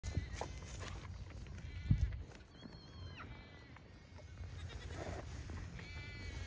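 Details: Young pygmy goat does playing on a farm in Knoxville, Tennessee, give short, thin, wavering bleats over a low rumble of handling noise. Pygmy goat (Capra hircus).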